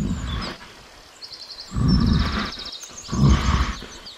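A bear gives deep, rough roaring growls in bursts, with faint bird chirps high above.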